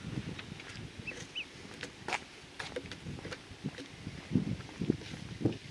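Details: Ryukyu wild boar giving a few low, short, snuffling grunts bunched together toward the end, over steady rustling and scattered sharp snapping or clicking noises in a quiet outdoor setting.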